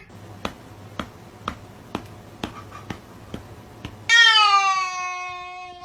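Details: Pet cat indoors: a series of soft regular ticks every half second, then one loud, long meow that starts high and slides steadily downward with strong harmonics, lasting nearly two seconds.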